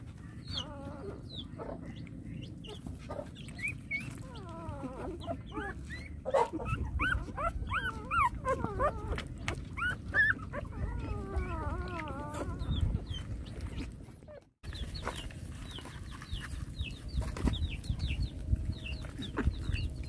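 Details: Hungry small puppy whining in wavering, harmonic-rich cries that bend up and down, bunched mostly between six and thirteen seconds, over a steady low rumble, with many short high descending peeps from other callers scattered throughout and a brief dropout near fourteen seconds.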